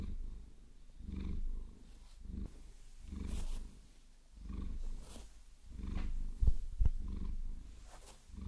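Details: Maine Coon Vasilisa purring while stroked with long nails, low rhythmic rumble in breath-paced swells, mixed with brushing scratches and two sharp taps near the end.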